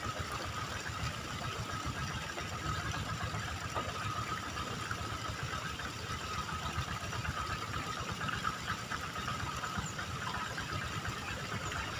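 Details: A steady, low idling engine rumble with a faint constant hum, and no clear bird or other animal calls.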